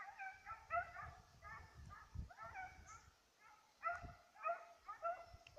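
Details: Petit Basset Griffon Vendéen chasing a rabbit on 5 October 2014, giving rapid tonal bays in quick runs of about two per second, with brief pauses between bursts.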